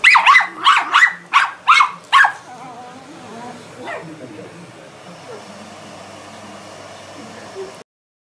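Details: Female Miniature Schnauzer barking at a running vacuum cleaner indoors: six sharp, loud barks in quick succession over about two seconds, then a faint whine and the steady hum of the vacuum.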